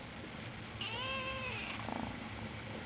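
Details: Ginger kitten crying: a single clear, drawn-out meow lasting close to a second, starting high and gently falling, in a quiet room with faint background hiss.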